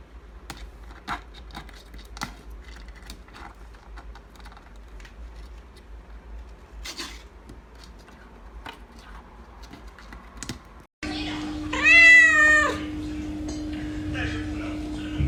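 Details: A cat gives a single loud, arching meow with rich harmonics, rising then falling over about a second, after a stretch of soft scratching and clicking sounds, with a steady low hum underneath.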